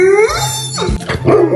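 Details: Sleepy Bernese Mountain Dog giving a scream yawn: a high, whiny, rising voiced squeal that breaks into a breathy, sliding exhale, then a brief squeaky rise at the end, over a steady low background hum.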